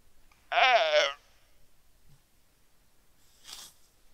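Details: Weddell seal pup calling its mother from the ice shelf, Terre Adélie, Antarctica, on a quiet, sunny November 2009 afternoon, Rode NT4 microphone. A single short, wavering, human-like bleat of half a second, followed by a soft breathy puff.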